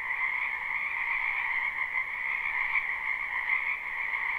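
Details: Dense spring chorus from many frogs in a backyard wetland, live recording: steady, ringing high trills layered over a softer lower hum, sound level nearly constant with slight surges.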